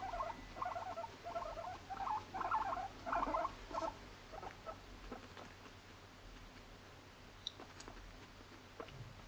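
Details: Pet female Abyssinian guinea pig named Moru-chan, born November 2017, living indoors in an apartment, chatters in a quick string of bright pulsed squeaks for about four seconds, followed by scattered faint clicks and rustling.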